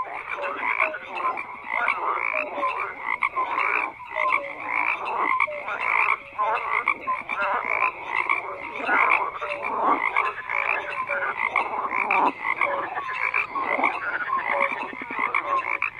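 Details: Many frogs calling at once, a continuous wall of rasping croaks with pulsed bursts and short piping notes scattered through, loudness rising and falling without pause.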